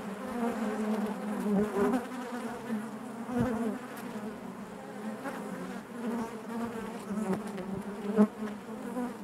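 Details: Steady collective buzzing of honey bees in their hive, a warm low drone with gentle surges and a few faint knocks and clicks.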